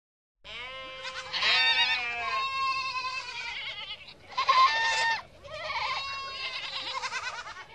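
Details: Adult goats and kids bleating in close succession, several overlapping wavering cries, some quavering and nasal, rising and falling over about seven seconds with no other sounds.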